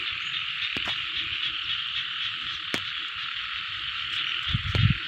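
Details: Frogs calling in a rice field: a dense, unbroken chorus of high buzzing trills holds steady throughout, with a few sharp clicks and a low rumble underneath that swells near the end.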